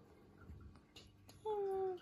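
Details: Kitten Torakichi, a rescued cat, indoors during its first nail clipping: after soft handling rustles, a single clear mew of about half a second, steady and then sliding slightly downward before it fades.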